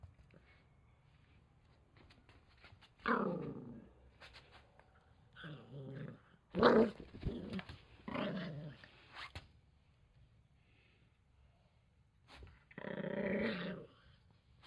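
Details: Angry male Toy Poodle growls after his towel is taken: sustained rasping growls lasting one to two seconds each, about five bouts separated by brief quiet pauses, the last one long and steady.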